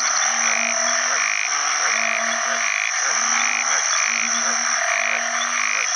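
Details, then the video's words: Banded bullfrogs (house bullfrogs) give deep, nasal, repeated croaks to attract mates in water after heavy rain at the start of the rainy season, with steady insect buzzing above. "อึ่งอ่างร้องหาคู่ bullfrog call"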